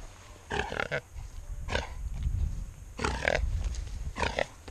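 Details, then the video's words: Wild boar caught and held on a rope during a boar hunt, giving four harsh, tonal grunting squeals in short bursts roughly a second apart, with low rumbling noise and handling sounds between them. "Caçada de JAVALI"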